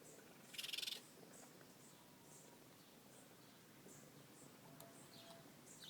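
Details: Baby raccoons from a family living under a deck give a brief, high, rapidly pulsed chittering burst, followed by faint scattered squeaks.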